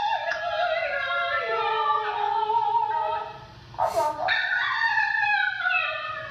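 An Italian Greyhound howls in long, wavering, sustained tones that bend up and down in pitch.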